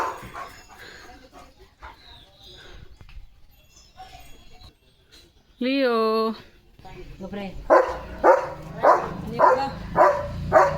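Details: A German Shepherd, excited over a chicken chips treat. After talking and a drawn-out wavering tone, loud barks repeat about every half second toward the end.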